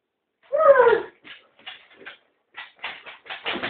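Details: Kaiser, a Rhodesian Ridgeback, frustrated with Terry the turtle, gives a loud drawn-out whining yowl that slides downward, then several short, clipped bark-like bursts separated by brief pauses.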